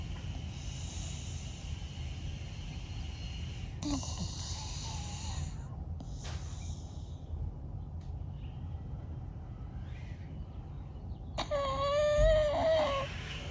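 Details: Snoring from Bella, a sleeping blue Staffy: low, rough breaths and snorts throughout, with noisy bursts near 4 and 6 seconds and a thin wavering whistle-like squeak near the end.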